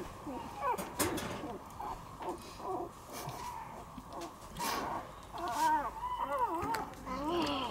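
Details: Two-week-old Shiba Inu puppy whose eyes have just opened, giving a series of thin, wavering whimpers and squeaks that rise and fall in short arcs, growing more frequent toward the end, with faint background voices.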